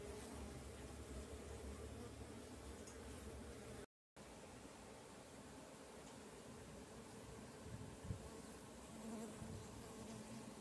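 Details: Stingless bees from managed colonies moving around, a steady low buzzing hum with some low rumble, interrupted by a brief silent break midway.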